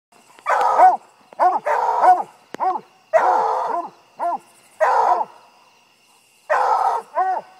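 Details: Queen, a 5-month-old pup, treeing a raccoon for the first time: bursts of loud, harmonic barks and yelps in clusters of two or three, separated by short pauses, with no other clear sounds.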